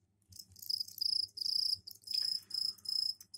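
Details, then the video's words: Captive crickets in a container fitted with a soil tray for egg laying give mating calls. Only males chirp, to attract females. High, bright trilled bursts repeat about six times over three seconds, over a faint low room hum. "Сверчковые трели"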